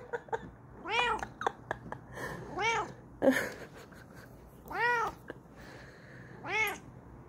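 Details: Kokoa, a Bengal cat, yells excitedly in her new chair indoors: four loud, arching meows with a rising-then-falling pitch, spaced about two seconds apart, with a few soft clicks and brief voice sounds between them.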